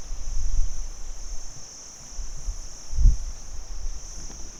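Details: Crickets by day: a steady, unbroken high-pitched trill runs throughout, over low rumbling noise with a soft thump near the three-second mark.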